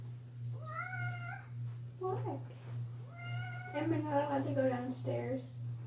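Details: Pet cat meowing very loudly indoors in a small room, wanting company going downstairs: two long, drawn-out meows with a steady tone, the second slightly wavering, while a person talks back in between.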